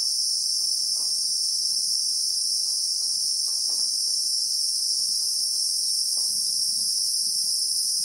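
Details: Cicadas, known locally as Christmas beetles, droning in real time in South African bushveld with acacias: a dense, continuous, piercing buzz that never pauses, over soft irregular low taps and rustling.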